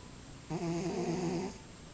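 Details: Domestic cat snoring into a glass of orange juice: a single buzzy, slightly wavering low tone lasting about one second, steady in pitch with rich overtones, set against a quiet indoor background.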